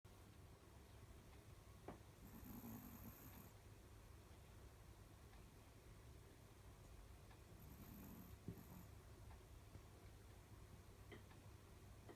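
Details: Sleeping dog snoring indoors: two soft, breathy snore breaths about five seconds apart, each a hissy rasp lasting around a second, over a steady low room hum.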